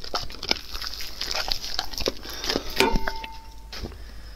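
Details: Dog eating raw food, recorded close up ASMR style: dense, irregular crunching and wet chewing clicks, sharp bites spaced through the clip, with a faint steady hiss behind and a brief thin tone near the end.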